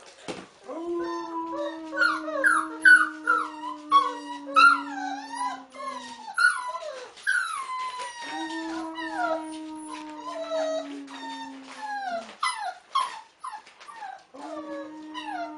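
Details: Wolf pup being taught to howl by a man, who holds low sustained howls in three long phrases while the pup joins with many high, wobbling, yelping cries that sweep up and down.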